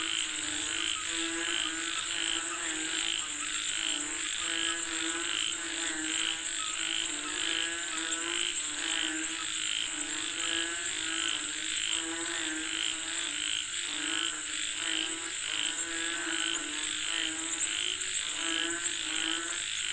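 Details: Frogs calling for rain, many voices together producing continuous rhythmic croaking pulses, with a steady shrill insect drone above.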